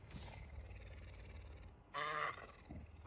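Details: Messi, a pet puma, affectionate at 5 am, licking and waking his owner; one loud, harmonic, slightly raspy call lasting about a quarter second stands out between soft rustling and faint household sounds.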